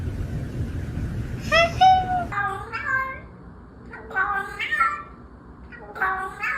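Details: Domestic cat meowing several times: short, tonal, harmonic-rich meows, some rising then falling, separated by brief pauses over a low indoor rumble and faint background voices.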